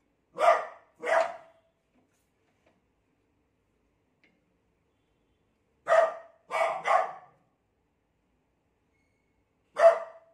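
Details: Beagle barking because it is scared of a new cot: two sharp barks, a pause of several seconds, then a quick cluster of three and one last single bark, in an otherwise quiet room.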